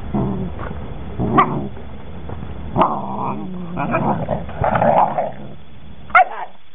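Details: Working line German Shepherd puppies from a litter of nine, 11 weeks old: low rough growling broken by short sharp yips and barks in bursts near the second, third, fifth and sixth seconds, over quiet background hiss.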